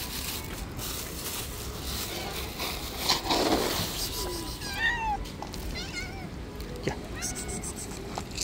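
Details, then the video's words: Street cats clash in the territory of an angry white cat: a few short harmonic meows rise and fall midway through, over steady outdoor hiss with a person talking early on. "All cats Attack each other in the Angry White Cat's Territory."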